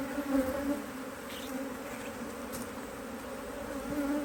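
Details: Busy colony of honey bees in an Australian-designed Hive IQ hive, opened in mid-Autumn 2023 to add another box; an even, continuous buzzing hum with a faint higher tone layered above the low drone.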